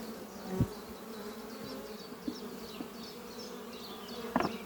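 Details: Buzzing honey bees at the hive Doppio, housed in an old French oak chest beneath trees on a spring morning. An even, low hum carries on with a few soft thumps. Faint bird chirps come from behind.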